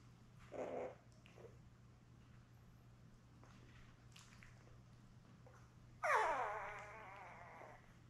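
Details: Labrador Retriever puppies, a litter of seven born May 24, 2021, with their mother Belle on an indoor puppy cam in early June: a brief yelp, a quiet pause, then a loud wavering whining cry that trails off over about a second.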